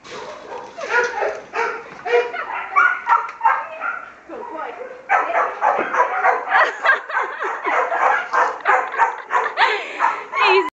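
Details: Male bull greyhound at a kennel, barking on command to show off a trick; a run of short, rough barks and yips repeated in quick, uneven bursts, with a person urging him on and praising him.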